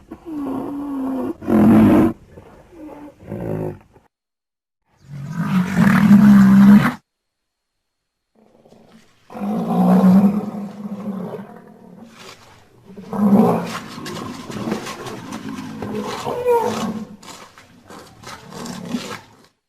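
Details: Rhinoceros producing a run of deep, rough roars and groans of uneven length, some short and gruff, others drawn out and droning, separated by brief pauses.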